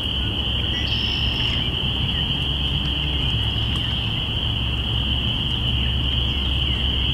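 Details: Spring peeper chorus captured binaurally on April 5, 2017, marking the start of spring: constant shrill massed peeping, a brief higher whistle-like note near the first second, and steady low-pitched rumble underneath.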